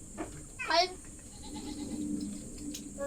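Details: A goat, said to be thirsty, gives one short quavering bleat near the start, then a steady low murmur and hum continue with a faint click at the end.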